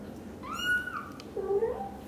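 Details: British Shorthair cats indoors, a kitten leaving the nest for the first time while its mother anxiously follows every step; two short meows, a higher thin one sliding slightly downward, then a lower, wavering one, over faint room hum.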